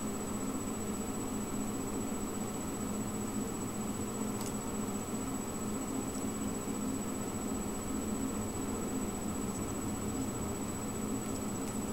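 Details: Steady broadband hiss and hum indoors, with a few faint clicks and no animal sounds.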